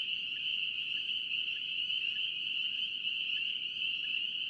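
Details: A North Carolina chorus of spring peepers rings as one unbroken high-pitched shimmer, with a few separate, lower chirps standing out about every half second over a faint low hiss.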